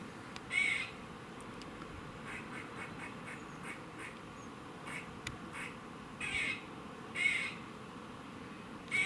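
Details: A squirrel gives harsh, nasal, quacking warning calls at irregular intervals in Cambridge, UK, on 27 September 2019 at about 3:16 pm.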